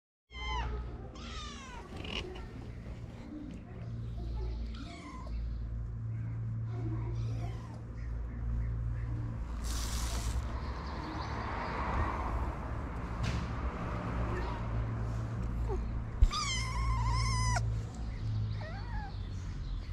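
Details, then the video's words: Hungry stray kittens waiting for their mother's return, calling to be fed: high, rising-and-falling meows, several early and a cluster near the end, over a steady low hum and background noise. "Kittens waiting for their mother's return want to eat."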